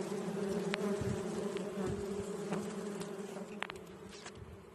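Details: Bees at a hive located under a hole, a steady low droning hum with a constant even tone throughout, and a few faint clicks and taps.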